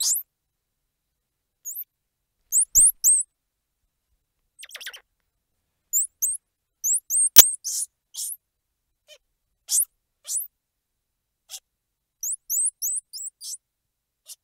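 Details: Squirrel monkey calling with sharp, very high whistled chirps, many hooked or curling upward, in short scattered bursts and quick pairs, with a few dry clicks between and an otherwise silent background.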